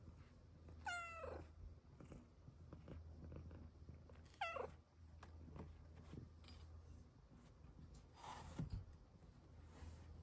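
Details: Luna, a pet female cat, meows twice indoors, each a short, high, falling call about three and a half seconds apart, with soft rustling and room noise between.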